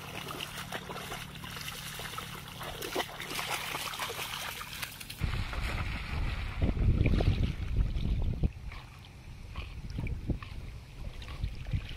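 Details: Water splashes and laps at a lakeside; a low steady hum fades after a few seconds, followed by louder sloshing and faint voices.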